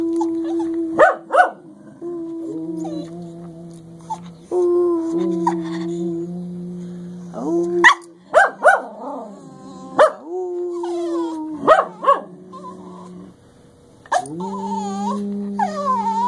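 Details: Two English Cocker Spaniels, Cleo and Xanadu, howling together in a duet: long, steady tones in a high and a low voice overlap and shift pitch, broken by sharp yelps and short barks.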